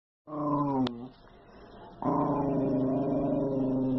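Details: A Miniature Schnauzer growls in two long, rough, droning bursts separated by a brief lull while attacking a person.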